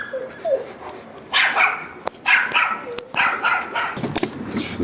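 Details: An unknown dog in a garden, being welcomed and offered water, lets out a series of short barks and yips mixed with human talking, sharp clicks and handling noises throughout.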